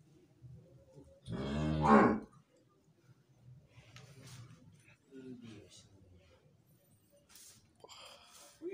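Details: A Limousin breeding cow, mother of a strong calf, kept in a barn in Indonesia, gives one short, loud moo of about a second that rises in pitch. The rest is quiet, with faint shuffling and distant voices.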